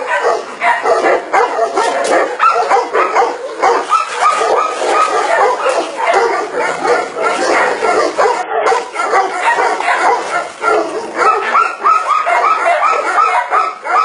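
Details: Tibetan Mastiff barking in a dense, continuous stream of quick yaps and whines, barks overlapping and crowding together for fourteen seconds with hardly a pause, over a constant background hiss.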